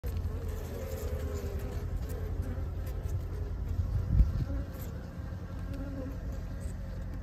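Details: Honey bees on a farm fill the air with a dense, unbroken, low throaty hum from many wings, slightly wavering as bees pass close, with a faint steady high whine behind.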